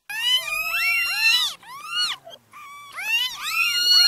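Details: Newborn kitten cries: quick rising-and-falling squeaky mews in a tight cluster, a few faint short calls, then another loud pair of piercing mews.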